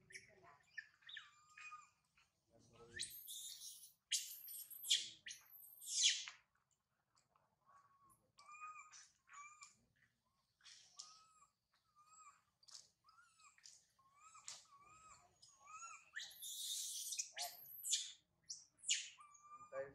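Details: Baby monkey Sario, deserted by her mother Sarah, cries at length on a high tree. A long series of short, whistled coos, many upslurred, is punctuated by bursts of loud, harsh screaming.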